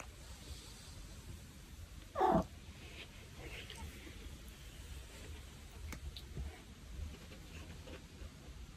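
A Maine Coon cat gives one short, falling meow over a quiet room.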